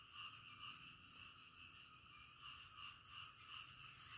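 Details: Frogs croaking in the dead of night, a continuous throbbing chorus with rhythmic swells in loudness and a high, even hiss underneath.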